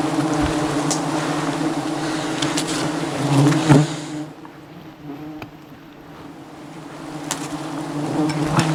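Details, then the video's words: Aggressive wild bee swarm attacking a honey hunter high above the jungle during wild honey harvesting; a dense, steady low hum of thousands of angry bees, with scattered clicks and knocks, dipping quieter midway before swelling again. "Dangerous Struggle Against an Aggressive Bee Swarm"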